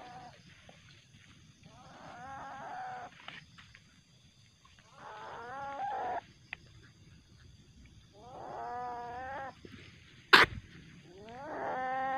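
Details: At night a juvenile common palm civet, highly aggressive and later released to the wild, utters several wavering harmonic squeals in short bursts over a hiss of background noise, with one sharp clack.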